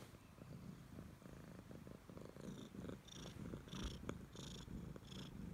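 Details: A Siamese cat that clings closely to its owner purrs steadily: a low, rough rumble pulsing rapidly, with scattered soft rustling and clicking handling noises above it.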